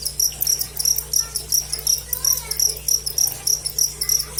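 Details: High shrill cricket chirps in quick pulsed bursts about three per second, slightly uneven, with faint sliding whistle-like sounds in the background and a low hum.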